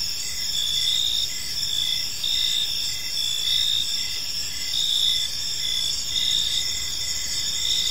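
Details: Crickets in a serene park at evening, chirping steadily: high ringing trills swelling and fading slightly, with evenly spaced short chirps below them and faint low background noise.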